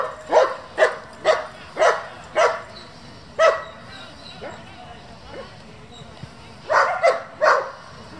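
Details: Barking German Shepherds from a breeding and competition working group: a series of strong, clipped barks about half a second apart, then a pause and a final cluster of three quick barks.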